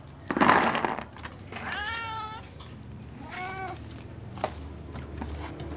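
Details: Domestic cats, little cats, a tom, a ginger and a silver cat, meowing pitifully at meal time: two rich harmonic meows, the first longer and wavering, after a short noisy burst, with faint rumbling behind.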